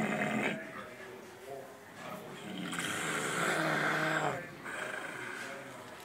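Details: A pig snoring: rough, breathy rasping snores, a brief one at the start and a long drawn-out one mid-clip, with faint human voices in the background.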